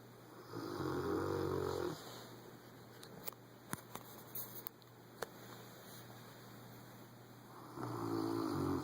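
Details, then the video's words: Boomer, a Rottweiler, snores loudly in his sleep; two drawn-out harsh, rattling snore breaths several seconds apart, the pause between filled with faint clicks and a low steady hum. "Our Rottweiler Boomer Snoring Loud"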